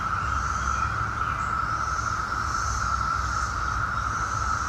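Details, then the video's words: Brood X periodical cicadas in suburban Chantilly, Virginia, near Washington, D.C., during their 2021 emergence after 17 years underground; a steady, unbroken droning chorus holds one pitch throughout, with low rumbling background noise. "Brood X sound 2021"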